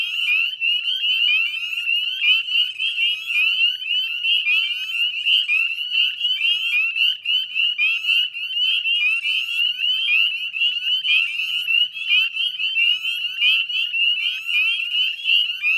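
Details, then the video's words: Many northern spring peepers calling together at dusk in a Nova Scotia salt marsh, West Chezzetcook, May 2020; a relentless high-pitched ringing of overlapping rising peeps, sustained without pause throughout. "Northern Spring Peeper Chorus"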